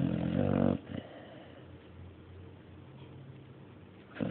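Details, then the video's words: Sleeping dog Mario ends a grating snore early on, then breathes quietly for a few seconds before the next snore begins. "Mario snoring III"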